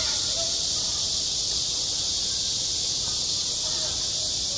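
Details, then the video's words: Midsummer cicadas singing at a school sports ground, a loud, unbroken high-pitched sizzle holding a constant level, with only faint scattered traces of distant sounds below it. "한 여름 운동장에서 매미가 울고 있다"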